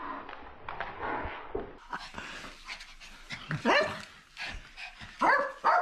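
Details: Papillon dog indoors, very excited before a walk: high whining yelps and short barks rising and falling around two to four seconds, brief sharp cries at the end, with soft panting breaths between.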